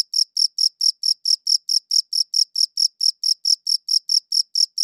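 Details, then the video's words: High, thin cricket chirps from a good-quality recorder, about twenty short bursts spaced evenly in a quick, steady beat, nothing else audible around them. "Cricket Chirping Sounds"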